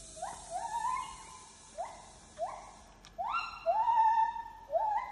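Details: Wild Asian elephants of a herd of 17 give a series of high, tonal squeaks, each rising quickly then holding steady, in Khao Yai forest near the Khao Khiao shrine around 17:20 in the evening.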